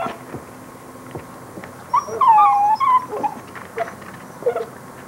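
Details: Basset Hound puppies whimpering: a short, high, wavering whine with a falling tail, then a few brief squeaky yelps, over quiet room noise.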